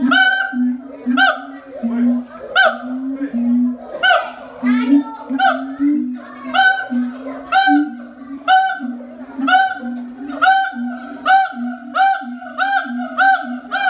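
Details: A siamang at Ragunan Zoo gives loud, resonant honking calls that repeat faster and faster.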